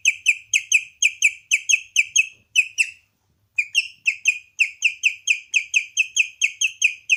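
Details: A domestic guinea pig, Leon, produces strange piercing chirps, regular bird-like notes roughly twice per second, broken by one half-second silence before the steady chirping resumes; no other sounds stand out.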